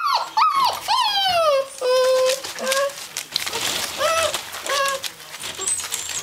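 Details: Gordon Setter dog in a small room, loud drawn-out whines that slide down from high to low, some held steady, repeated in quick succession, with quieter whimpers and some background voice.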